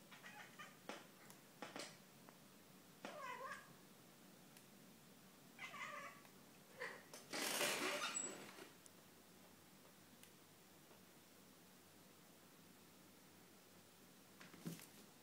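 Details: Pet domestic cat making strange, weird noises indoors: a series of short chirping, bending meow-like calls spread across the first six seconds, then a loud broadband rustle or bump near the middle, followed by quiet and a final brief sound.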